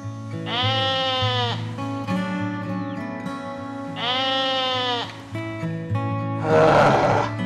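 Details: Goat bleating twice, each a drawn-out, quavering cry about a second long, spaced some three seconds apart. A harsh breathy burst follows near the end, all over continuous background music.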